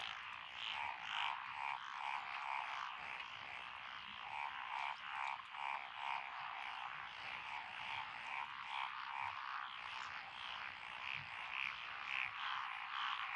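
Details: Mixed frog chorus from lotus rice fields in Echizen, Fukui, Japan, June 2021, tree frogs, pond frogs and wrinkled frogs among the callers; rapid pulsing croaks pile up and swell in waves.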